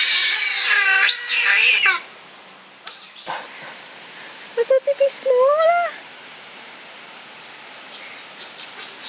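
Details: Captive giant otter family of six, including two cubs born there, at Chestnut Centre, Chapel-en-le-Frith, filmed 25 June 2011: loud harmonic squealing calls sweeping up and down for two seconds, then short chirps and rising whistles, more squeals near the end.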